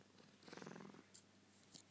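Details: Domestic cat purring during its nightly bedtime routine, same time and place each night: a short burst of rapid, rumbling pulses lasting about half a second, then soft rustling and a couple of faint clicks.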